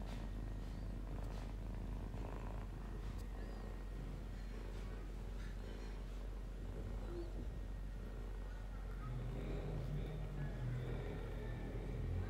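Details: A pet cat purrs in a low, even rumble that carries on without pause, with faint rustling and brief soft noises over it and a slightly louder low hum near the end.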